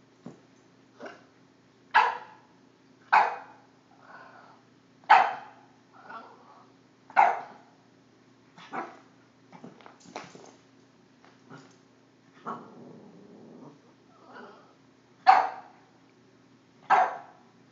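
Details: A five-month-old Boston Terrier barks at a cord, giving sharp, high barks one every second or two, with quieter yips between.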